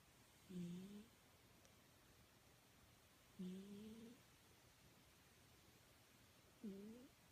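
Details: Domestic cat snoring in its sleep, a habit it has at times: soft, tonal, slightly rising snores in a quiet room, three spaced about every three seconds.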